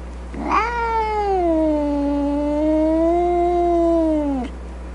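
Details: Grumpy domestic cat letting out a single drawn-out yowl of about four seconds: a sharp rising onset, a falling tone that settles into a long low wail, and a downward slide at the end; a steady background hum throughout.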